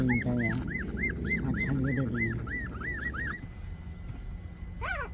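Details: A 24-day-old puppy's quick string of thin, arching whines repeats roughly three times a second, then stops, with murmured voices under the opening and one final higher squeal.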